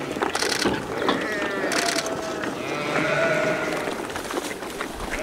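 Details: Sheep raised in Hokkaido, Japan, eagerly crunching green asparagus trimmings at the peak of the harvest season. Two drawn-out, wavering bleats rise above the steady crunching and chewing.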